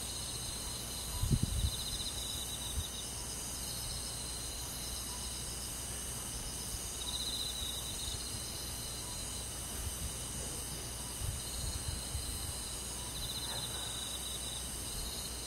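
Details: Crickets and other insects on a summer night in the countryside: pulsed, high trills rise and fade in overlapping bursts over a steady ringing insect drone, with a low rumble and a brief thump near the start.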